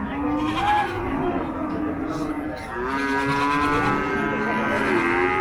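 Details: Cattle at the Paragram cattle market in Bangladesh, 7 December 2024; drawn-out low moos with stacked harmonics over steady crowd chatter and speech from the busy market.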